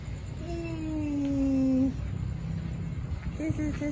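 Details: Stray city cats and kittens without owners, fed on the street and offered special immune-booster food while hungry: one long, slightly falling meow, then a shorter wavering meow near the end over low street hum and a woman talking.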